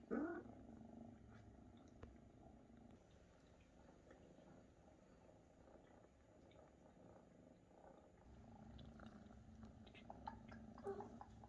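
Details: Maine Coon mother Luna caring for and feeding her big kittens, which purr like crazy; a short upward call opens, followed by a quiet continuous low purr that grows a little stronger toward the end.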